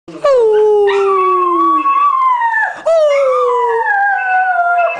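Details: Milly, a pet Border Terrier, howls when the phone rings: two long, tonal howls, the first sliding downward and fading, the second starting high after a brief break, wavering, then gradually dropping in pitch.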